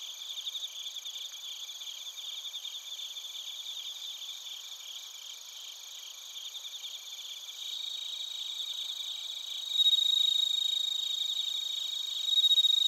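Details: Bell crickets and other crickets recorded in Narita, Chiba, Japan, on a TASCAM Portacapture X8: dense, high, shimmering chirps pulse rapidly in overlapping layers, with a steady ringing trill beneath that grows louder toward the end.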